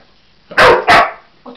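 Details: Cocker Spaniel Husky mix dog barking at a toy animal it appears to take for real: two loud, quick barks in close succession, then the start of another.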